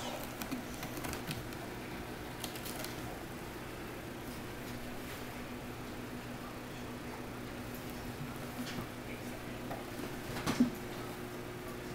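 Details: Quiet indoor room tone with faint patter, soft scratching and a brief knock near the end.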